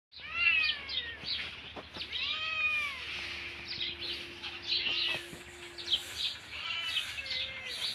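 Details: Hungry pet cat meowing: several drawn-out, arching meows with clear harmonics, repeated about every second or two, over a steady low hum and some background noise.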